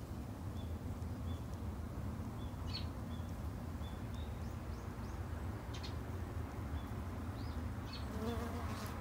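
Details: A steady low buzz from Japanese honey bees at a backyard hive, with small high pips repeated at intervals and a few short chirps toward the end.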